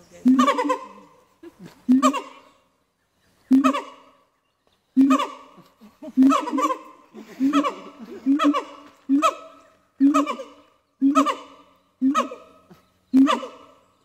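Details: Siamang family calling at Dubbo Zoo, where the female usually starts the song and the male finishes it: harmonic hoots or barks repeated at about one-second intervals, speeding up and overlapping toward the end.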